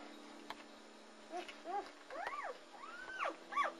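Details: German Shepherd pups from the Anarchy and Core litter of three boys, born February 18, 2009 at Vom Barron's Pride, cry in a run of high, bowed whines that rise and fall, growing longer toward the end, against a constant background hum.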